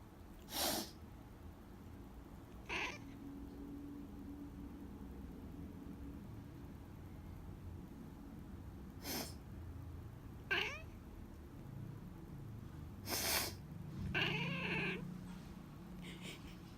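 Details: House cat reacting to its owner sniffling: repeated sharp human sniffs and a low steady hum, then a wavering, drawn-out meow near the end, with a few more sniffs around it.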